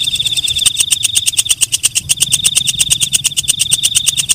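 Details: Night-calling katydid (walang kecek, belalang malam) producing a fast train of sharp, high, ticking pulses, nearly three per second, over a thin steady shrill tone; faint low hum underneath.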